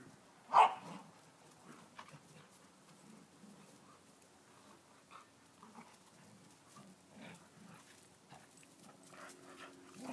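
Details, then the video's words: Two Chow Chow dogs fighting: one sharp, loud yelp-like bark near the start, then faint, low growling and scuffling noises continuing quietly throughout. "Chow chow fight"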